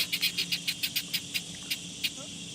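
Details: A cicada sends out a fast run of sharp buzzy pulses, about five or six per second, that thin out toward the end. A continuous high drone and a faint low hum run beneath them.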